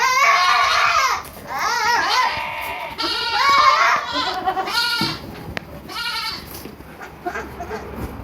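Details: Baby goats on a farm in Purwokerto, Indonesia, bleating in wavering, strongly harmonic cries, several overlapping calls about a second long in the first four seconds, then quieter bleats with some clicks and farm noise.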